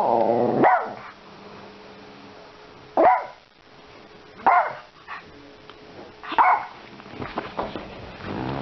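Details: Yorkshire Terrier helping with shopping: a drawn-out whining bark opens, followed by single sharp yaps spaced about a second and a half apart, with rustling and soft clatter toward the end and a low hum.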